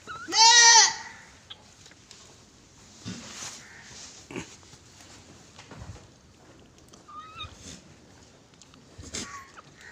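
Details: Farm goat in Gulbarga, Karnataka, letting out one loud, wavering bleat near the start, followed by quiet background rustles and faint distant calls.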